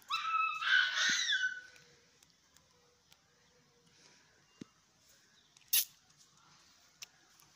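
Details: Dog giving a high, quavering whine with stacked harmonics that rises and falls for about a second and a half, followed by near quiet with scattered clicks, a faint thud and one sharp knock.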